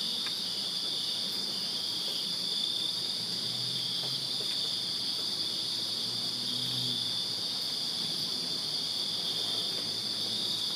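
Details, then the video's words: Backyard crickets in Virginia calling on a summer night, forming a continuous shrill trill that never pauses, with a fainter upper shimmer, scattered faint ticks and a low murmur under the chorus. "Crickets Chirping Summer Night in Virginia"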